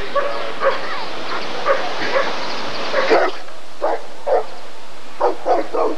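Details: Rottweiler at a 1994 ADRK breed survey (Körung), giving short barks in uneven bursts over steady background noise, with a louder cluster near the middle and a quick run of barks toward the end.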